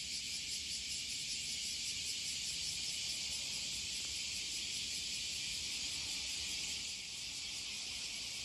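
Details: A dense chorus of cicadas on a hot July morning walk forms a steady, hissing drone that fills the air.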